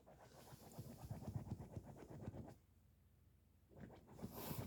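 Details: Small Bichon Frise dog indoors with a sleeping cushion, panting in fast rhythmic breaths, about four per second, pausing briefly, then resuming; quiet room with faint rustling.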